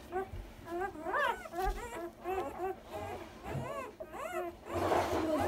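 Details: One-day-old Komondor puppies from a newborn litter squeal in a quick run of arched, whiny cries, each rising and dropping in pitch, several per second, ending in a rougher, noisier squeal.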